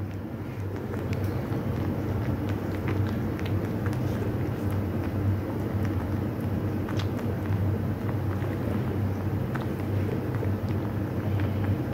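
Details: Steady outdoor rumble like passing traffic, with scattered faint clicks and knocks and no animal voice.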